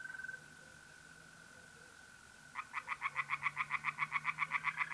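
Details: Tree frogs in a pond at night in mid-April, north-east Italy: after a steady, high trill from mole crickets, a frog launches into a fast series of loud, evenly spaced nasal pulses, about four per second, for the last two seconds.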